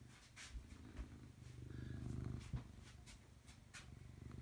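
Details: Robbie Coltrane, a pet cat, recorded in 2018, purring steadily: deep pulsing rumble rising and falling with each breath, about three or four pulses a second, a few soft clicks over it.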